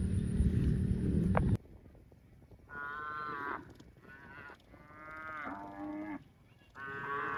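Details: Cows mooing: after a short burst of loud noise, a series of steady, drawn-out harmonic moos follows, some lower and some higher, each about one second long with brief pauses between.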